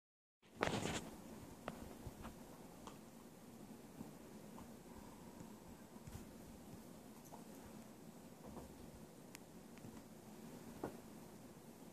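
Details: Quiet indoor room with a low steady hum and a few faint taps and clicks, no animal voices.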